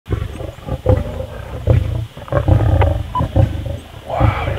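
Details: Lioness growling over a kill: deep, rumbling low growls in rough pulses, roughly one to two per second, swelling and fading throughout, with faint background noise.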